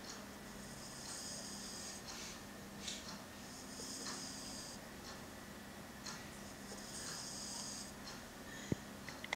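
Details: French Bulldog puppy Udon, a male, asleep indoors hugging a toy he was given at Yamashita Park; rasping snores come in long drawn breaths roughly every three seconds, with quieter breathing between and a faint click near the end.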